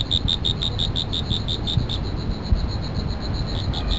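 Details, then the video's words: High, thin insect chirps pulse rapidly and evenly, fading slightly over the recording, set against a strong low-pitched background rumble. "Insect Sound Effects"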